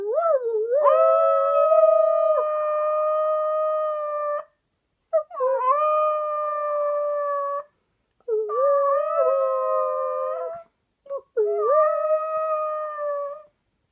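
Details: A one-year-old male Shetland Sheepdog kept as a pet howls along as if singing: four sustained, clear, level howls separated by brief pauses, each beginning with a wobbling upward slide, no other sounds.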